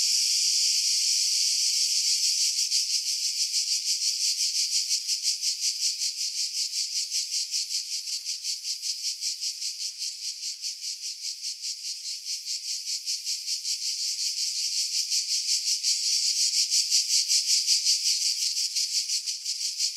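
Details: Cicadas in pine trees about 50 m above the sea at Pefkos Bay, Skiros Island, Greece, in July 2018; a dense, high, hissing buzz throbbing in rapid regular pulses for the whole stretch, louder at the start and end, wind filtered out.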